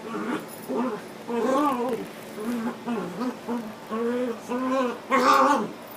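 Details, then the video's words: Dog Otter and her puppy Latte at play, giving a rapid run of wavering, whiny, mid-pitched calls with rising and falling bends, about two to three per second, ending in a louder, harsher burst; indoor setting. "Dog Fight"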